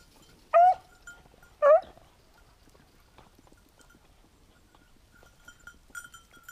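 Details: Two loud, arched yelps about a second apart from a Beagle hunting a lost hare on 19 October 2022, then quiet, with faint bell-like ringing and rustling afterwards.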